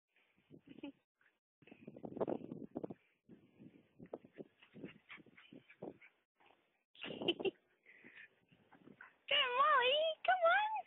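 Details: Dog Mali with her puppies: scattered soft whimpers and short squeaks, then loud, wavering high whines rising and falling in pitch near the end, with a human voice mixed in.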